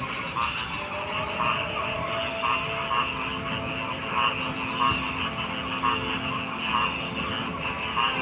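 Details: A frog chorus in which pulsed croaks repeat roughly every half second to a second over a steady background of other calling frogs and a constant hum.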